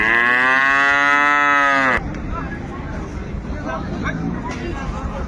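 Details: Improved-breed dairy cows and calves at the Monday Ambari cattle market in Dinajpur, recorded 10/2/25. One loud, drawn-out, richly harmonic moo lasts about two seconds, then cuts abruptly to murmuring market bustle and voices.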